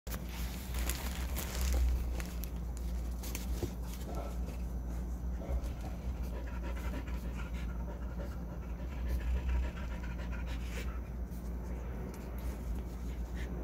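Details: A female Jindo dog that has just given birth to two male puppies pants steadily in quick, breathy rasps over a low hum, with no clear squeaks or whimpers from the puppies.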